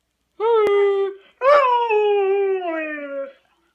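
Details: Alaskan Malamute howling in two drawn-out, tonal phrases: a short level howl, a pause, then a longer howl that starts with a rough edge and slowly falls in pitch before fading out.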